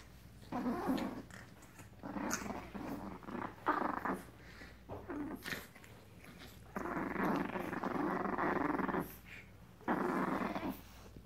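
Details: Frenchton puppies at seven weeks old, a French Bulldog and Boston Terrier cross, growling in play: choppy rasping growls in rapid spurts, then longer sustained rumbling growls, with brief pauses between.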